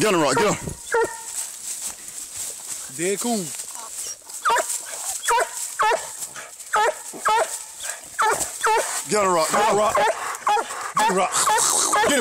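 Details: Treeing Walker Coonhound in a fight with a raccoon, phone recording: frantic repeated barks and bawling yelps, about two a second, mixed with human voices and scuffling noise.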